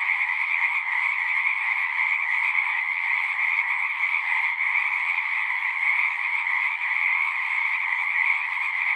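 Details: Many frogs singing together in a natural setting. A dense, unbroken chorus of trilling croaks forms two steady bands, a middle layer and a brighter higher one, through the whole stretch, with no pauses and no other clear sounds.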